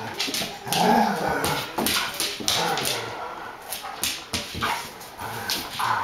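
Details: Rhodesian Ridgeback puppy trying to get a Border Collie to play: scuffling bursts mixed with short yelping whines and soft woofs, a brief tonal whimper near the start, repeated irregular clatter of movement throughout.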